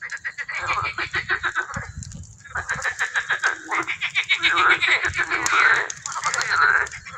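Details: Tree frogs singing in the educational pond of the butterfly garden at Parc Aoubre; calling males produce loud, rapid pulsed bursts of rattling notes, grouped in phrases with brief gaps, overlapping into a busy chorus.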